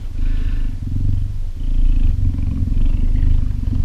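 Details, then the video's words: Two captive adult female cheetahs purring at night while resting beside a person sleeping in their enclosure, a sign that everything is friendly; a deep, steady, pulsing rumble that continues throughout, with a faint hiss above. "they both would purr letting you know everything was friendly"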